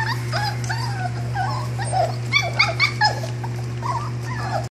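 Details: Puppy litter giving short high squeaks and soft whines, scattered and overlapping, over a constant low hum indoors.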